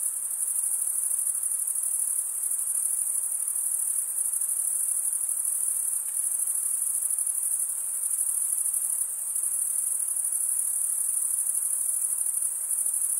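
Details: Crickets stridulating, the males rubbing one wing's toothed vein against the other, make a dense, unbroken high-pitched trill with a fine pulsing texture, steady throughout with a faint hiss beneath.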